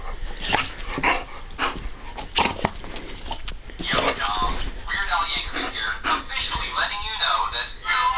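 An American Pit Bull Terrier gives short, sharp barks, with a person talking and faint music behind.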